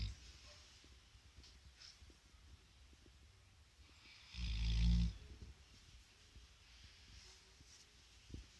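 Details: Central Asian Shepherd Dog (Alabai) asleep at work, giving one deep, rasping snore of about half a second partway through, low and rumbling, with quiet background hiss and faint distant chirps.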